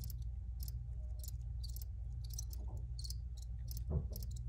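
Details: High, buzzy cricket chirps come in uneven bursts from more than one insect; a low hum runs underneath and a soft thump sounds near the end.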